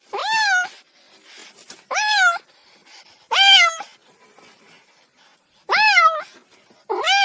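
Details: Repeated cat meows, five bright harmonic cries each about half a second long, arching up then down in pitch, spaced irregularly with soft rustling in the gaps.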